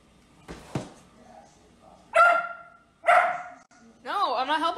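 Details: Dachshund, or wiener dog, indoors at home: after a person speaks, two sharp, loud barks about a second apart, then a wavering, rising-and-falling whine-like cry.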